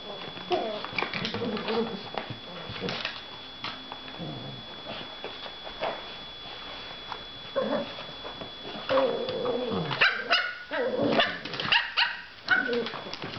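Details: Ten-week-old male Cavalier King Charles Spaniel puppies, romping in a dog bed, give high, squeaky yips, whines and little growls in quick, uneven bursts.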